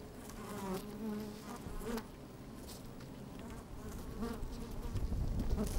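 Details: Bees at work in an open hive, microphone placed down inside, sunny and breezy: low drone with short rising buzzy swells, wind rumble growing louder toward the end.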